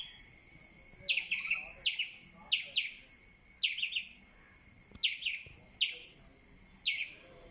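A squirrel gives sharp, high chirps in quick bursts of two or three, over a steady thin whine.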